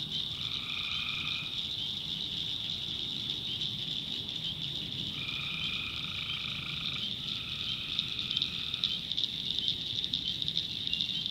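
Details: Tree frogs in a North Carolina swamp after dark, a continuous piercing trill beneath repeated lower nasal calls of one to two seconds, four of them, some running back to back.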